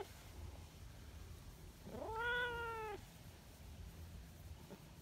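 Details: A single meow from Nyahha, the attention-seeking brown tabby community cat in Japan, just down from the mountain: quieter than the others, sliding up sharply then holding and falling slightly, lasting about a second, over steady low rumble.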